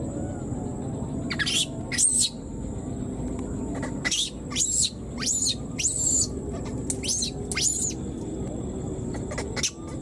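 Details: Wild newborn baby monkey left behind, calling for its mother: a run of about eight shrill, high squealing cries, some rising then falling, spaced every second or so over a steady low background rumble.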